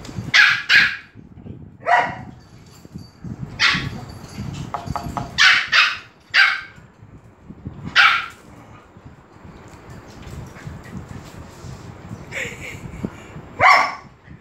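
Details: Excited dogs at Phuket Dog Resort greeting the arriving Pomeranian Fendi, with Lucky, Pam and Gaby present; bursts of sharp, high barks come singly and in quick pairs every second or two over low background rumble.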